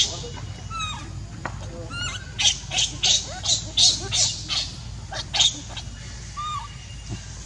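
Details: Baby monkey Leo crying for milk from its mother: thin arched whimpers followed by a burst of harsh rasping cries in quick succession, then quieter whines trailing off.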